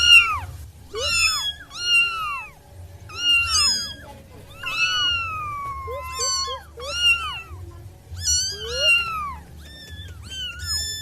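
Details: Six wild kittens mewing in rapid succession, high thin cries that arch up and then slide down, several overlapping, with short quieter gaps between bursts over a low steady hum.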